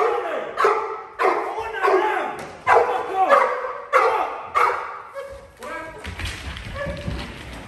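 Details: During a home invasion protection drill, a Cane Corso gives a run of rapid, forceful barks for criminal containment, roughly every half second to second, then a noisy scuffle with voices toward the end.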